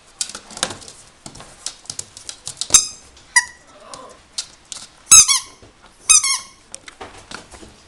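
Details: Toy Poodle at a pet shop in Himeji, Japan, giving high, squeaky whines and yelps that bend downward, with louder cries near five and six seconds, among clicks and scrabbling noises indoors.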